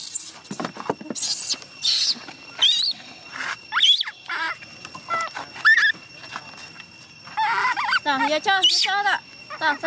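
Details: Young chimpanzee Gina cries and refuses to let her carer go home, pleading for her to stay; high, wavering squeals and whimpers come in repeated bursts, rising toward the end, while a woman speaks Vietnamese between the cries.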